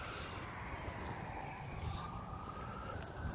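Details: No animal sound in a ravine natural area in Edmonton, only a steady low rumble of vehicles and a passing aircraft.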